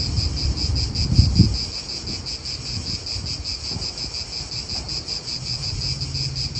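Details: In an Italian park, cicadas keep up an unbroken, high, pulsing buzz. Beneath it, wind gusts and nearby car noise make a low rumble, with a couple of brief thumps early on.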